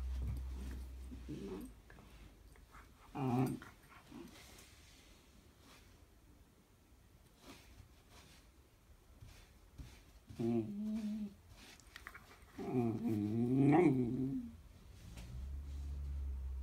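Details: Whippet puppy indoors grumbling when told it may not chew on everything: several short throaty growl-whines in bursts, the longest a wavering, rising-and-falling moan near the end, over low room hum.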